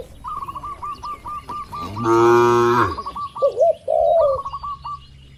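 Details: A grazing herd of tame village cattle in an open field. A single full moo of about one second rises from a run of quick, repeated bird chirps, followed by warbling bird calls.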